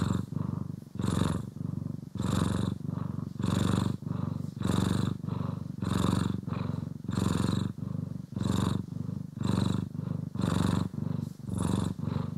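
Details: Steady domestic cat purr while brushed and groomed, one of two cats named Poki and Kiwi: a continuous low vibrating rumble pulsing with breathing about every second, recorded in stereo with nothing else heard.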